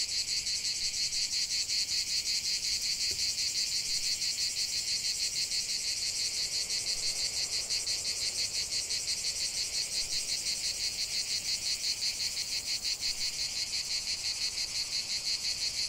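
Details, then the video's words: Cicadas singing in a natural setting: a dense, buzzy, high-pitched drone pulsing rapidly and steadily, about three pulses per second, with continuous shrill texture and no other clear sounds. "45 min de chant des cigales"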